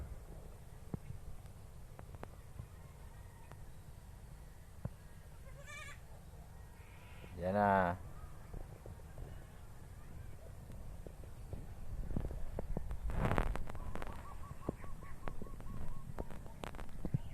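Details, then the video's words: Baby goat giving one brief, wavering bleat midway through, its tone quivering up and down in a rapid tremble, set against a low rumble with scattered knocks and handling noises before and after. "Baby Goat weird Sound"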